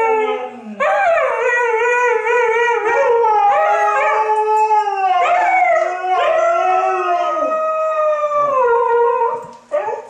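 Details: Two Siberian Huskies, which rarely bark, howl together in long, wavering, tonal notes that rise and fall.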